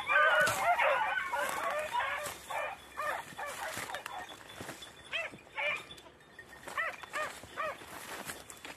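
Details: Beagles, red and blue tick and lemon white, training on hare on the island of Crete, Greece, in 2021. A dense burst of overlapping yelping bays is followed by spaced, arching yelps about every half second, with a continuous high hiss behind.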